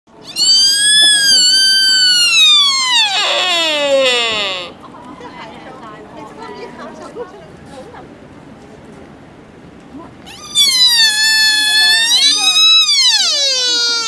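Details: A deer in Nara Park gives loud, high, squealing calls that hold steady, then slide sharply downward.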